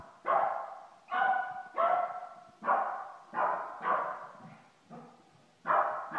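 A Shih Tzu barks and yips in quick, eager bursts, each sharp and slightly whiny, repeated about once a second in excitement at someone coming home. A person talks softly in the background.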